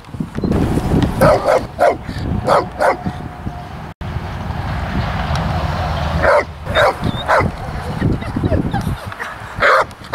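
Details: Three-year-old intact male Pitbull and American Staffordshire Terrier cross, aggressive toward cats, other dogs and people, during a behaviour assessment test: bursts of sharp repeated barks in two bouts, mixed with human voices and handling noise.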